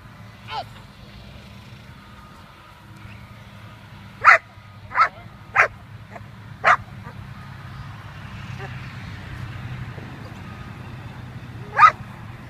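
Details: Quita von Nummer Eins, a female German Shepherd puppy about 6.5 months old, during bitework foundation training. Sharp, loud barks, six in all: one early, a quick run of four in the middle, one near the end, over a low steady rumble.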